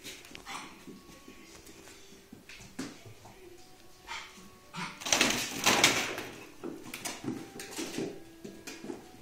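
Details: Puppies fighting over a sock: scattered short, sharp yips and scuffling bursts, building to a dense, louder cluster of rough yelping and growl-like noise in the middle, then easing back to intermittent squeaks and knocks, with a faint steady hum.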